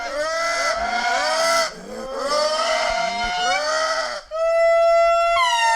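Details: Indris in Madagascar singing in chorus, a reproductive pair with their 1-year-old daughter partly overlapping her mother: loud wailing tones sliding down in pitch and overlapping.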